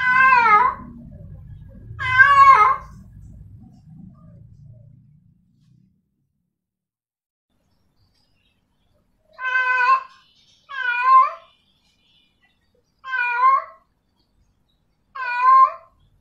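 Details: Female cat in heat calling a male: two loud wavering meows, then a long silence, then four more evenly spaced, falling-ended meows, each about half a second long; faint low rumble under the first calls.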